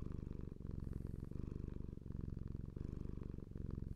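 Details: A domestic cat purring indoors: a continuous low rumbling buzz pulsing steadily, with the rhythm easing briefly as it breathes roughly every second.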